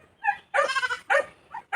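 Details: Newly bought pet goat on a farm in La Union, Philippines, giving short harmonic bleats, one longer wavering cry in the middle with quicker clipped bleats before and after, in quiet surroundings.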